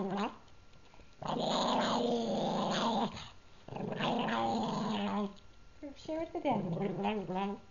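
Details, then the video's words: Pug indoors guarding the treat he is eating, making groaning, growly vocalisations in long drawn-out bursts with wavering pitch, separated by short quiet gaps. "Pug makes Tauntaun noises"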